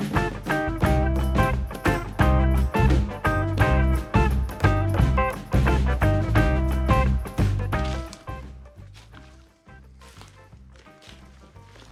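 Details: Rhythmic instrumental music with a steady beat plays for about eight seconds, then fades into quiet, with no animal calls heard.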